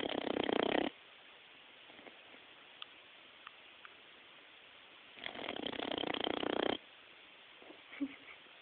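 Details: Sleeping Boxer puppy snoring: two loud, rough, breathy snores, one short and one longer, separated by a few seconds of quiet with faint small clicks.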